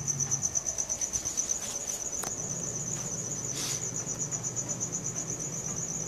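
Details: Crickets at night, captured on a Samsung Galaxy S4: a steady high-pitched pulsing trill, rapid and continuous, with a low hum in the background and a few brief clicks.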